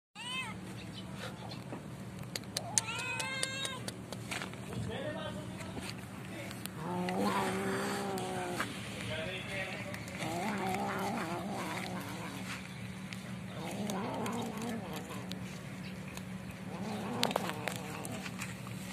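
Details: Stray cat fighting for food after snatching a pet cat's meal: drawn-out harmonic yowls and wavering growls rise and fall over nineteen seconds, with a steady low hum beneath and scattered clicks.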